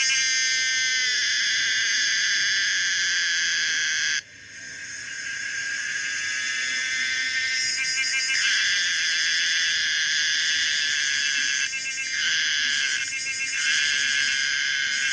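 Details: Common cicada Pomponia linearis singing a loud, sustained, high-pitched buzzing drone with layered tonal bands. It breaks off briefly around four seconds, then swells back, and later carries short pulsing stutters.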